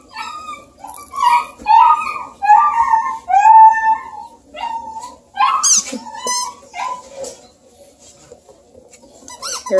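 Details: Playful Bluetick Coonhound puppies with their Redbone buddy at a breeder near Kingston, Ontario, Canada, giving a run of high, squeaky, wavering whines and short yelps, some rising and some falling, in separate bursts.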